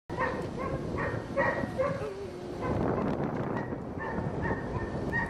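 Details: Kara, a black, blue-eyed female Siberian Husky, howls like a wolf in drawn-out, wavering tones, broken by a rougher, grumbling stretch.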